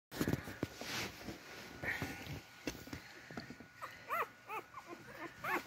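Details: Beagle puppies crawling toward their mother to feed give short rising-falling whimpers and squeaks, clustered in the second half, over soft rustling and a faint steady hum.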